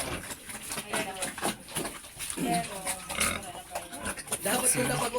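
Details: Domestic sow being bred so she will get pregnant quickly; rough grunting and snorting bursts mixed with people talking close by, over a steady high-pitched hiss.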